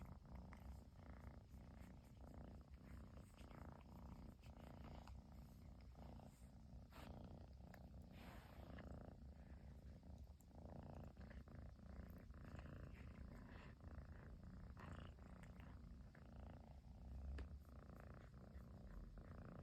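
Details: Persian kitten, chinchilla long-haired, purring without pause after the long-awaited return of its owner in Japan; sustained low vibrating purr with rhythmic breathing pulses and light fabric rustling.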